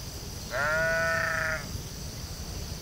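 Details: Sheep in a field giving one steady, harmonic-rich bleat lasting about a second, held at an even pitch, over a low rumbling background hiss.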